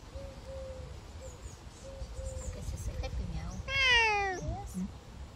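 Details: Savannah cat on a summer walk gives a loud, drawn-out meow near the end that bends upward then drops away. Fainter thin tonal sounds come before it, over a low background hum.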